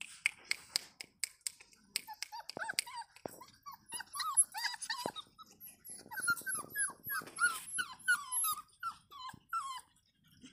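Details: Five 35-day-old Rottweiler puppies, three male and two female, whimper and yelp in quick, high, arching squeals that overlap one another.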